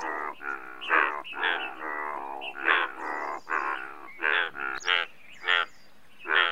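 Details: Overlapping loud, buzzy croaks of Indian bullfrogs, largest frog species in India, rising and falling in bursts with several callers alternating; a faint high bird chirp sounds once in the background.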